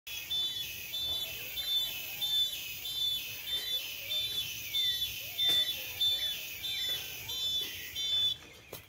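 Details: Cicadas sing near 11 o'clock under harsh, strong sun, filling the air with a dense, high, shimmering buzz that pulses rhythmically about every half second.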